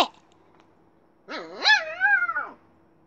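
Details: Little Bear, a Siberian Husky puppy, lets out a single drawn-out, wavering howling bark over about a second, its pitch bending up and down before trailing off, after a brief sharp yip at the start.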